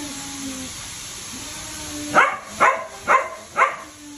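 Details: Husky during mating play: a short whine, a quiet pause, then four sharp barks spaced about half a second apart, set against a faint steady hiss.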